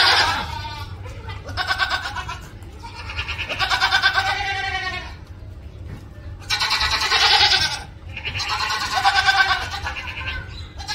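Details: A goat screams again and again, each harsh, wavering, buzzy yell lasting around a second, about four loud bursts with short pauses between them over a faint low hum.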